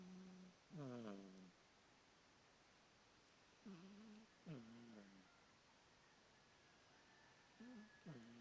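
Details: Snoring from a domestic cat called Bonderez: low, buzzing hums with sliding starts, arriving in paired breaths every few seconds against a quiet indoor background.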